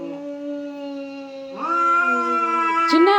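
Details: Cats fighting: a long, steady, low harmonic yowl rises abruptly midway into a louder, higher, strained wail that holds to the end, with a brief sharp burst near the close.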